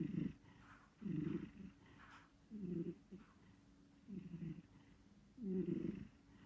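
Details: Cat snoring while sleeping, five low, raspy breath sounds at irregular intervals of one to one and a half seconds, with quiet between them.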